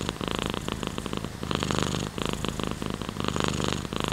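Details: Loud, close cat purr: a rich low rumble with layered overtones rising and falling over each inhale and exhale, with crackly pulsing texture.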